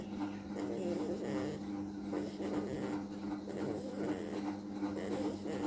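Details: Diego, a sleeping beagle puppy, snoring: soft, rough, breathy snores roughly every second and a half, over a steady mechanical hum like a fan indoors.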